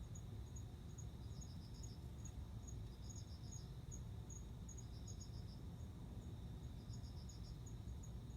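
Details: Male cricket calling a female to mate: faint, high, pulsed chirps in short bursts, repeated every second or so, over a steady low hum.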